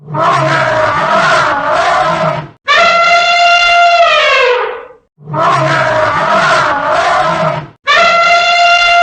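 An elephant trumpets in loud, brassy blasts of about two seconds. Each blast ends with a falling slide, and the same pair of calls repeats twice.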